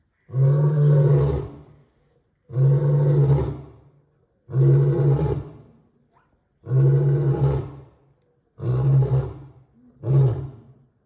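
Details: Male lion roaring: a series of six deep, heavy bursts about every two seconds, each a booming low roar with strong low rumble, fading briefly between calls.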